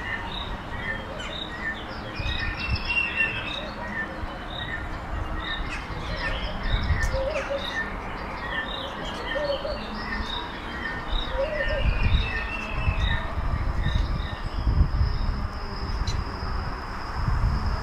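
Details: A mob of meerkats warming themselves under red heat lamps at a safari park in Worcestershire, England, give a steady stream of short, high chirps and peeps over a low background rumble.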